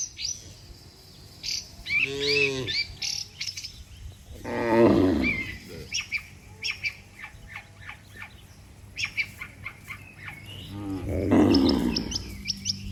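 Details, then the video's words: Dozens of cattle lined up on a road, their moos likened to calling the herd back to the pen. Three separate low mooing calls spread across the clip, with scattered bird chirps between them. "Suara Sapi Moo, Puluhan sapi Lembu Memanggil kawanan untuk pulang"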